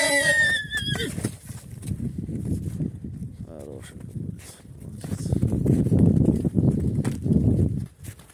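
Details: Stallion named Grom flirting with his daughter: a loud, wavering whinny with clear stacked harmonics opens the recording and lasts about a second, followed by low rumbling, snorting and hoof sounds with a voice in the background.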